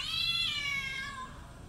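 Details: Domestic cat at play, one long harmonic meow that starts high and strained, then slides steadily downward and fades over under two seconds, with no other sounds.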